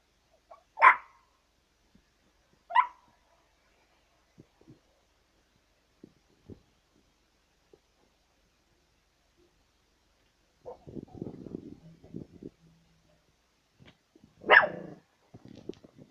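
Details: A Chihuahua begging gives a few sharp, high yapping barks spaced well apart, with quiet gaps between.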